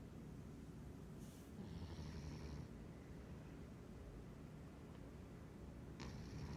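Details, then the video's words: A sleeping pet cat dreaming in the middle of the day, twitching as it snores: soft, low, rumbling breaths under a steady hiss of room noise, with a brief faint hissy rustle near the start. "Cute cat is snoring, twitching, dreaming and waking up."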